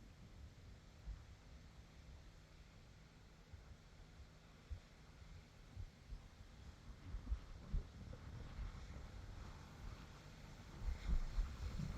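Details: Quiet outdoor wind and microphone rumble with faint low hum and a few soft bumps, with no animal sound.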